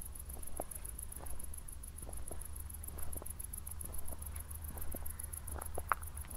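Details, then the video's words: After a thunderstorm at night in Zwettl, Austria, crickets keep up a thin, high, regularly pulsing chirp while footsteps tap and crunch and a low rumble sits underneath. "ASMR Cricket Sounds"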